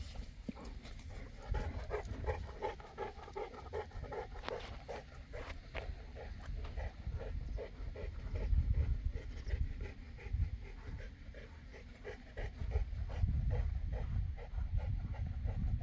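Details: Boerboel (South African Mastiff) from the pair Enzo and Diva kept in Egypt, heavy rapid panting about four breaths a second, steady and rhythmic, over low rumbling background noise.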